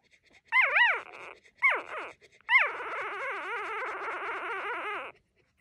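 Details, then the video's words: A three-day-old female puppy whimpers in drawn-out, wavering whines that rise and fall in pitch, three bursts, the last long and quavering; quiet background. "Tiny puppy has so much to say!"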